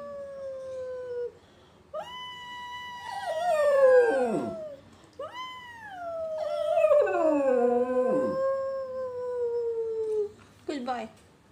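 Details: A Lakeland Terrier howls "awoooo" in long, wavering, falling notes, answering its owner's singing, as it does whenever someone whispers or sings.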